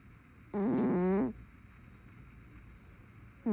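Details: Brown tabby cat asleep and snoring: a single loud, buzzy, harmonic snore of under a second with a wavering pitch, then quiet room tone and the start of the next breath.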